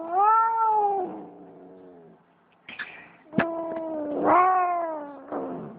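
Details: Distressed cat held by a person with its legs held together, shaking: loud, long, drawn-out caterwauling wails with strong harmonics, rising and falling, broken by brief clicks and rustling handling noises.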